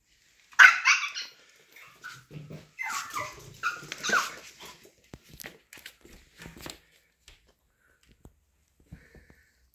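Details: Pomeranian Ponki indoors in a small room, crying like a wolf after its owner leaves home; high, wavering whines and yelping cries come in bursts over the first seven seconds, then fade to quiet with scattered faint clicks.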